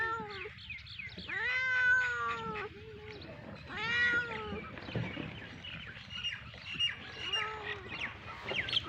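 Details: Hungry cats and a kitten meowing: long harmonic meows rising then falling, about two seconds each near 1.5 and 4 seconds, followed by softer overlapping mews from more than one animal against low background hum.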